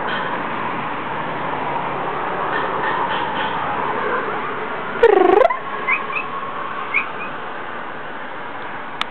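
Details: Missy, a pet cat, talking to the birds: one loud, brief, harmonic meow with a dipping then rising pitch mid-clip, followed by two faint short chirps, all over a steady background hum.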